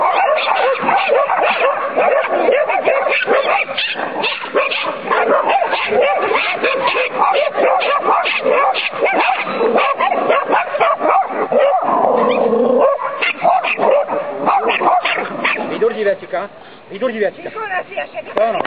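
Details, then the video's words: Two Irish Terriers, Sonny and Jerry, in training, yap and bark excitedly in a long, dense stream that thins out toward the end, with whimper-like rising notes. "irsky terier (irish terrier) - sonny a jerry vycvik"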